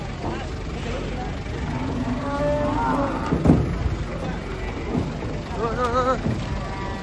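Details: Cattle unloaded from a truck, described as raging and caught; drawn-out lowing moos mid-clip, then a wavering tone near the end, mixed with engine noise, background music and people talking.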